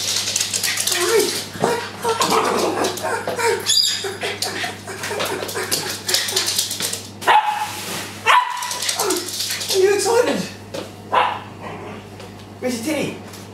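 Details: Drifter, a pet Japanese Spitz, greeting an owner who has just come home, giving excited high whines and yips that bend up and down, mixed with a person's speech and greetings indoors.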